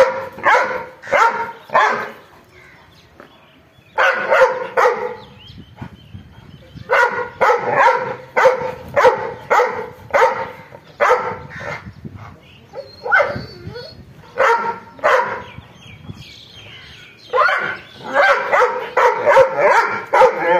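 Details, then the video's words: Angry dog barking in rapid clusters of harsh, raspy barks separated by brief pauses, continuing steadily for about twenty seconds. "angry dog barking"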